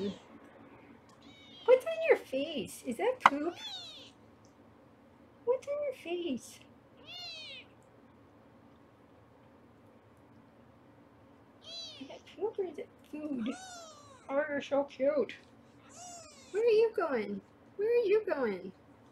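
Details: Foster kittens being weighed indoors under a round-the-clock kitten cam in Los Angeles mew in short, high, bending cries, scattered in bursts with quiet gaps between. A woman's voice talks now and then.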